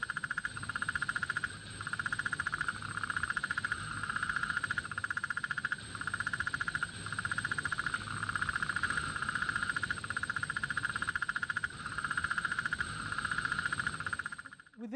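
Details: Sudell's frog of the Murray Valley, South Australia, gives its mating call, a rapid, staccato run of knocking pulses about four a second, deeper and more staccato than the similar painted frog's call.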